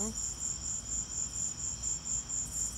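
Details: Crickets keep up even, high-pitched pulsed chirps during a lightning storm; low rumbling noise sits underneath.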